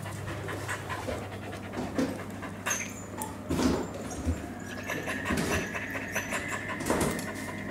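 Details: Welsh Corgi named Roku playing with a ball in a coffee shop on 3 June 2022; soft, breathy panting comes in uneven bursts over a steady low room hum.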